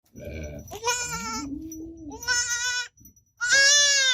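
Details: Baby goat kid bleating: three loud, wavering, nasal bleats of under a second each, with a lower, smoother drawn-out tone between the first two and a quiet rumble beneath.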